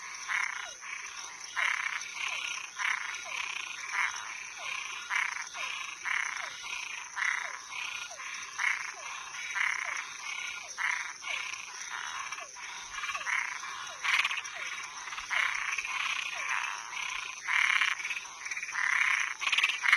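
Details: Night chorus of frogs and tree frogs, many callers overlapping in quick rasping croaks and short falling chirps, packed tightly with almost no pause, over a constant high-pitched whine.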